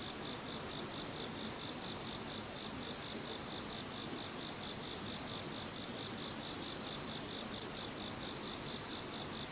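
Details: Insects singing in the calm after Typhoon No. 21: a loud, constant high-pitched ringing chorus in two layers with soft pulsing below, steady and unbroken from start to finish.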